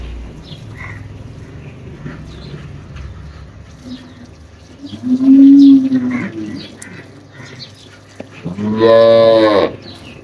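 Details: Friesian cross cow on a dairy farm, milked by hand, giving 16 kg of milk. Two loud moos: a steady mid-pitched call near the middle, then a richer, harmonic-laden bellow toward the end, over low farmyard background noise.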